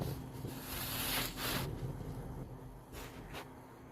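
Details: Pug named Zhora snoring, with soft breathy bursts of broadband hiss repeating at an uneven pace, rising and fading over a low steady background hum.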